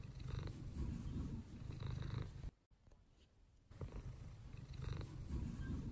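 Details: Sunbathing pet cat Mouse purrs in a deep pulsing rumble that cuts out for about a second midway, then resumes just as steadily.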